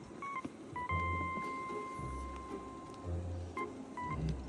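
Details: Electronic music with steady, sustained beeping tones over a low rumble, and no bark or other animal voice.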